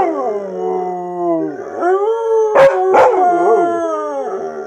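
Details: Chocolate Labrador Retriever howling indoors: long wavering, strongly harmonic tones that slide down, then rise again, broken by two short sharp barks midway before the drawn-out howl resumes and fades.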